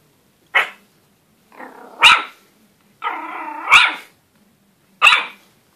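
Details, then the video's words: Pomeranian puppy barking at its own reflection: four sharp, high yapping barks, two preceded by a low growl that rises into the bark, spaced irregularly in a quiet room. "Pomeranian puppy barking at his own reflection"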